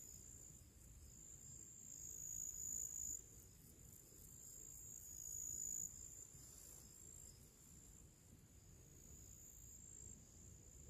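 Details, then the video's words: Crickets and other little creatures chorusing in summer before evening, a continuous high, buzzy trill with fast regular pulses, swelling twice in strength, against faint low-frequency outdoor hum. "Moments of relaxation with purple flowers and cricket sounds"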